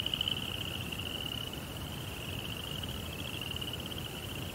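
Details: Crickets chirping at night in a Japanese Zen rock garden, a continuous high pulsing trill holding one pitch for the whole stretch over faint low background rumble.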